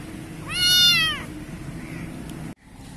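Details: Young kitten in Pakistan giving one loud, clear high meow that rises then falls, lasting about half a second, over steady low background hum.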